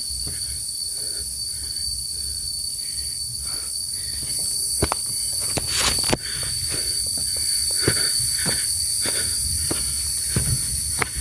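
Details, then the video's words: Crickets on a quiet, peaceful forest hiking trail of Mount Penanggungan via Sumber Lumpang, Trawas, Mojokerto, Indonesia, giving a steady, unbroken high-pitched trill throughout, with hikers' footsteps and sharp crunching clicks over it. "Di sini kita hanya mendengar suara jangkrik, burung,"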